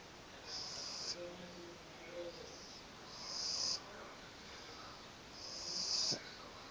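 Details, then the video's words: Sleeping pug snoring: soft, hissy, high-pitched wheezing breaths that swell and fade roughly every two and a half seconds, with faint low rasps between them and a quiet room behind. "Carlino roncando"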